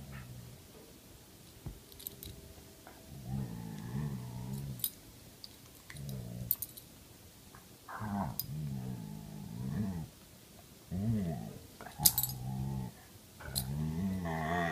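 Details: Indoors with a grumpy Belgian Malinois mix and a playful Karelian Bear Dog mix; repeated low warbling growls and grumbles in bursts of one to two seconds, with faint clicks and thumps between them.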